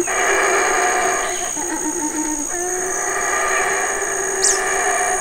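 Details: Black howler monkey male calling at Burrell Boom, Belize, guarding his feeding family of fig eaters: a long grinding, harmonic roar with small pitch wobbles and a brief sharp squeak near the end, set against a continuous high whine.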